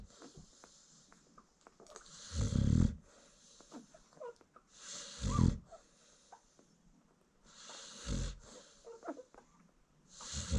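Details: American Bully mother asleep while nursing her newborn puppies, snoring in deep, rumbling breaths roughly every three seconds, with faint small squeaks and rustles between snores.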